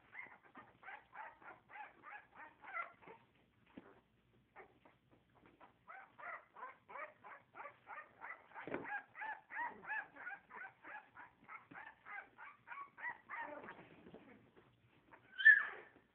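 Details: Puppies giving thin, high squeaky yips in quick regular series of about four per second, a short pause, then more runs, ending with one louder sharper yelp; quiet background.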